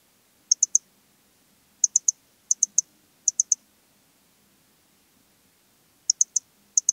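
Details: Modicogryllus frontalis, the Eastern Stripe-headed Cricket, recorded in Puntigam, Austria, June 2022: crisp high chirps of three rapid pulses each, repeated irregularly with a longer silent gap mid-sequence, faint low hum beneath.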